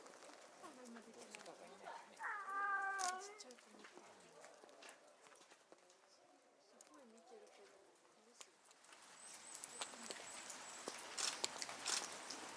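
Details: Captive female snow leopard, mother of a cub born July 2019, calling from an overhang at Asahiyama Zoo, Japan, in November 2019, apparently to her cub. One drawn-out harmonic moaning call is heard amid children's chatter and rustling.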